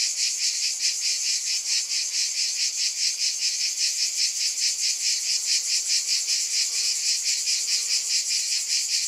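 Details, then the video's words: A wall of high cicada buzzing with a rhythmic shimmer, the sound pulsing about twice a second and growing slightly denser toward the end, with no other sounds present. "Scintillating Cicadas 1 hour White Noise"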